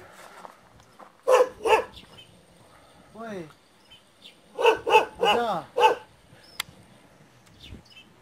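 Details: A Do Khyi, the aboriginal Tibetan Mastiff kept as a guard dog, barks twice, then after a pause lets out a quick series of four loud barks, with a person speaking softly in between.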